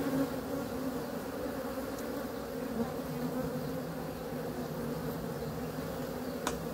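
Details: Softer, even hum of honey bees, a steady low drone with no pauses and a faint tick just before the end.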